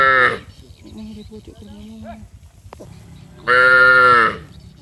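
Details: Cattle raised in a village, moving as a group down to the rice fields and calling to one another: a short moo opens the clip, faint tonal calls follow, and a strong, rich moo of nearly a second comes near the end.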